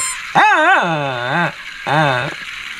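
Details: Shih Tzu barking: two drawn-out, wavering bark-whines, the first rising then sliding down and holding, the second shorter, over a background hiss.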